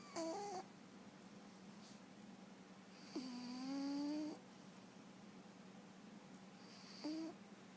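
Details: Scout, a rescue cat living at a sanctuary, snores while asleep: three breathy, harmonic snore sounds, the middle one long and drawn out over about a second, over a quiet steady background hum.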